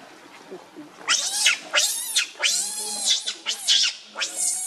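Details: Baby monkey Leo Rainbow, very angry and hungry, crying and begging its mother for milk: after a quiet second, a run of six shrill, piercing arched screams with strong harmonics, each rising then falling, about half a second apart.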